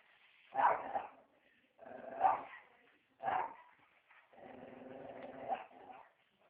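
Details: Joey, a dog, barking: three sharp, separate barks about a second and a half apart, followed by a longer drawn-out growling bark with a steady harmonic tone.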